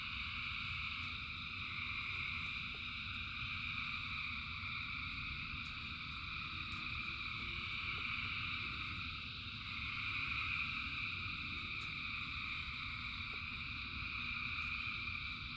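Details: Frogs by the thousands calling in rain form a seamless high trilling wall of sound, swelling slightly and easing again, with scattered sharp drip clicks and a low background rumble.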